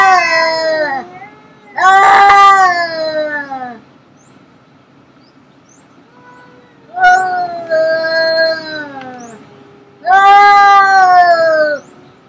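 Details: Fighting cats trade long caterwauling wails, four drawn-out howls each sagging in pitch at its end, separated by stretches of near silence; tense, moaning, strained and loud, with no other sounds.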